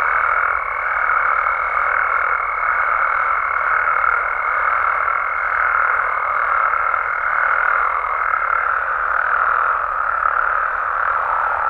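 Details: Night chorus of frogs and toads in Mexico, many callers merging into a constant croaking wash, overlaid by a steady pure high tone that stops about three quarters of the way through.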